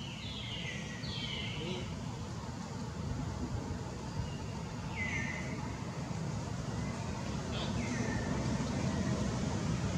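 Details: Baby long-tailed macaque Jinx, newborn, crying while hungry because mother Jade's milk has dried up: short, high, falling squeals in bursts, early and then around the middle and end, over steady traffic rumble.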